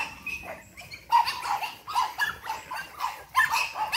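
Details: Boston Terrier puppies from an 8-week-old litter, energetic at play: short high yips and barks come in irregular bursts, some overlapping, with scuffling in between.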